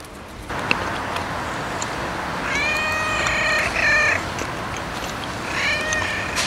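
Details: Cat giving two or three high, drawn-out meows against loud steady background noise, the cries flat and thin with a wavering middle section.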